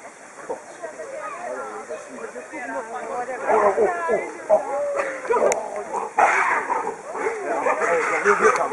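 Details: Baboons in a harem group, males fighting aggressively over females they guard jealously; a dense tangle of overlapping harsh screams and wavering cries, building louder after the third second with sharp noisy bursts.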